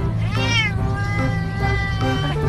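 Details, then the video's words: Angry orange domestic cat making a drawn-out, rising then falling harmonic meow-like yowl, followed by a lower wavering growling tone, with background music throughout. "Makin MARAH Suaranya Makin GEMESIN.!🤣 Kucing Oren Ngamuk-Ngamuk"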